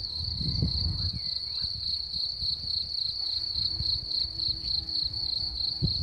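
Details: Crickets singing: a steady high-pitched continuous trill with rapid pulsing, with low rumbling background noise underneath.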